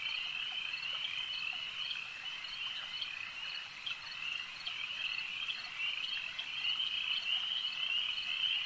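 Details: Many frogs at a lake keep up an unbroken, shrill trilling chorus; scattered louder pulses recur about twice per second and the chorus swells slightly toward the end.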